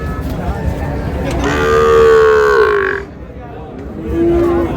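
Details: Cow among cows with calves for sale at Raniganj market, Dinajpur, on July 29, 2026. It gives a long, steady, droning moo that falls at its end, then a shorter, lower moo. Crowd chatter and market noise continue underneath.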